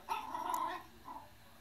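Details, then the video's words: A playing Yorkshire Terrier lets out one drawn-out, nasal whine lasting nearly a second, then a brief softer whimper; low room hum underneath, no other voices. "Yorkie playing"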